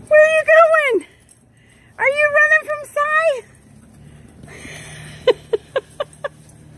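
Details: Tonka, an Alaskan Malamute, makes two bursts of bouncing woo-woo talking that drop at the end of each, followed by keys jangling and a few sharp clinks in a quiet room.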